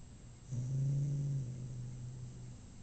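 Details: Male pet cat after a dental cleaning at the vet gives one low, drawn-out moaning call lasting about two seconds, steady and deep, then trailing off quietly.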